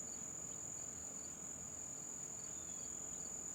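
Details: A single cricket somewhere in or beside a garage gives a continuous, steady, very high-pitched trill without a break, with faint short bird chirps scattered in the background.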